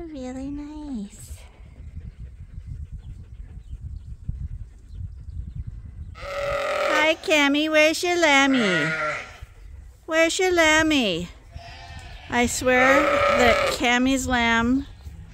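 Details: Flock of sheep at Ewetopia Farms piling up in the morning before release to fresh pasture. A short bleat opens, then after a lull several overlapping, tremulous bleats follow in repeated bursts, some sliding downward in pitch.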